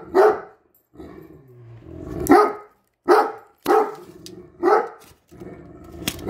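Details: Domestic Great Dane objecting to a measuring tape, giving about six loud, rough barks at uneven intervals, some doubled, with brief quiet stretches between.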